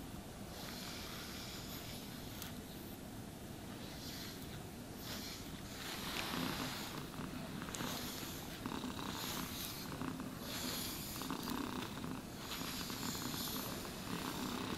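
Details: Domestic cat purring while being brushed and groomed, a steady low rumbling pulse beneath loud, sweeping brush strokes that rasp across the fur in long bursts, with no talking.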